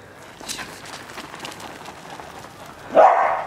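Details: Single sharp bark near the end from one of two pet dogs, a Corgi named Kotaro and a Toy Poodle named Chirol, playing in snow; quiet outdoor background with faint people's voices before it.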